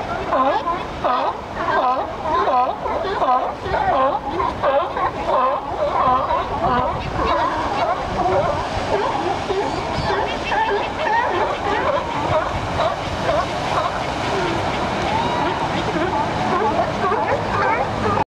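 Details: A crowd of California sea lions on a bluff at La Jolla, California, on 20 December 2013, barks and honks over each other nonstop, with surf in the background.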